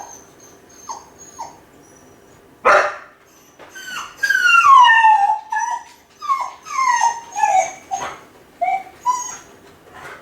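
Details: Kai Ken left home alone, howling from loneliness: wavering wolf-like howls gliding down from high to lower pitch, broken into several drawn-out rising and falling cries, with a sharp bang partway through.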